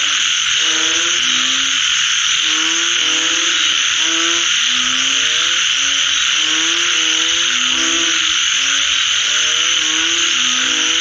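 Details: Frogs calling after rain: short, low, slightly falling croaks repeated in rapid series, several voices overlapping, set against a loud, steady high-pitched hiss or buzzing drone that runs throughout.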